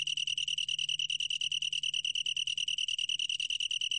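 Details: Close detail of the long-tailed tree cricket's song: about ten crisp pulses each second, merging into a high, steady, bell-like trill. Part of the 2020 National Institute of Biological Resources insect sounds, faint low hum beneath.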